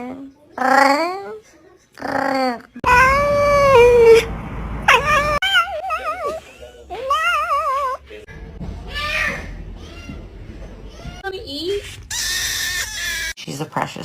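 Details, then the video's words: Domestic cats making funny sounds: a run of short harmonic meows, then long wavering, rising-and-falling yowls and a few chirpy calls, mixed with people talking affectionately to a cat and brief bursts of music. "Cats Make Funny Sounds"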